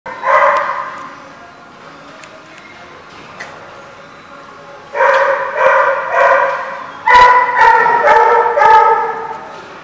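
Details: Dog barking in bursts, harmonic-rich barks clustered into three loud bouts separated by quieter gaps, about two barks per second within bouts, with sharp clicks or knocks between.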